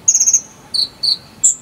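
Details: Cricket, jangkrik sambung cililin type, recorded as filler material for a konin bird: a trilled high chirp of four quick pulses, then two lower buzzy notes and a final sharp higher chirp.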